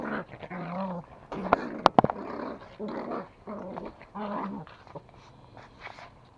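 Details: Toy Pomeranian in Kathmandu, Nepal, growling while playing tug with a rope; low rumbling growls in bursts of about half a second, broken by sharp clicks and scuffling, with snorts and quick breaths between.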